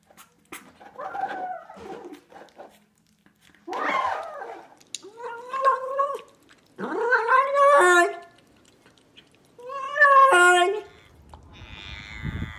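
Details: Domestic cat making weird noises: a series of drawn-out, wavering meows and yowls, each about a second long, in bursts every one to two seconds with short silences between, some rising then falling in pitch.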